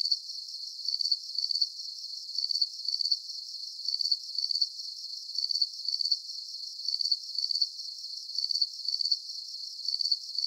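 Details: Soothing night chorus of crickets with repeated high, metallic pulsed chirps arriving in pairs at a steady tempo, layered over a soft continuous ringing of other crickets and nothing else audible.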